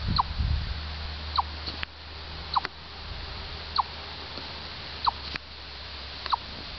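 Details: Six crisp chips from a chipmunk in Orr, Minnesota, each a short downward-slurred note about 1.2 seconds apart, with low rumbling and a few soft knocks underneath.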